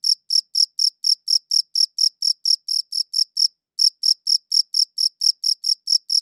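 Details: High-quality recording of a cricket's chirping: rapid, evenly spaced shrill pulses, about four per second, broken by a single brief pause, then resuming at the same rate in clean silence.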